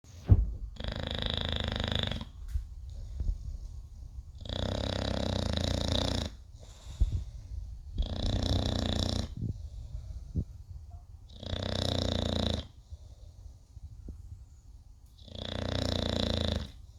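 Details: English bulldog named Cody snores loudly in deep, rasping bursts about every three to four seconds.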